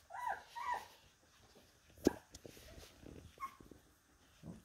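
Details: Labradoodle puppies, two together; two short, high, rising-then-falling whines in quick succession open the moment, followed by soft rustling, a sharp thump, and one brief faint whine later, with a final low murmur.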